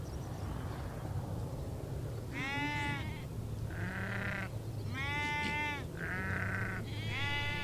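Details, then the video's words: Sheep and goats of a nomadic herd on the Mongolian steppe near Bayandelger, Tuv province; bright, nasal bleats of several animals follow one another about once a second over a steady low rumble. "The sound of sheep and goats in the Steppe"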